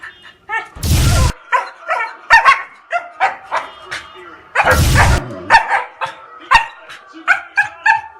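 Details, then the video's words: An angry dog gives a string of short, harmonic barks and yelps, broken twice by loud, thumping bursts of low noise. "Angry dog"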